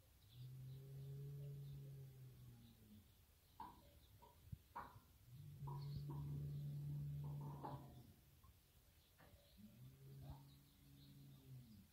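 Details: Three long, deep moos of about two seconds each, evenly spaced, come from a herd of Berrenda en Colorado cows and their bull, a fighting-cattle breed, with light knocking and rustling between calls.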